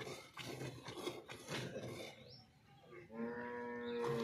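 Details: High-milking Nili-Ravi buffalo offered for sale in Punjab, Pakistan: after murmured voices and clatter, a steady, droning moo with rich harmonics starts and holds through the last second, firm and unbroken.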